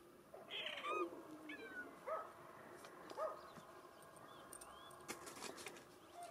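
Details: Bengal cat at a breeding cattery on Mallorca, Spain, uttering a series of short, bent meows roughly once a second, then fading to quiet clicks and rustling against a low steady hum.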